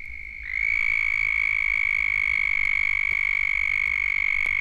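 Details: Large breeding chorus of southern toads, the most common toad in Florida, from a 1978 Florida frog-call recording: a continuous, high, even trill that starts slightly lower, then holds steady and unbroken throughout.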